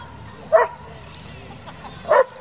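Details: Two short, forceful barks from a German Shepherd of a breeding and competition working group, spaced about one and a half seconds apart over a quiet, low background hum.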